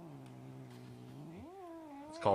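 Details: Cat giving a long drawn-out low meow that holds steady, then swoops upward and stays high before ending with a brief loud burst.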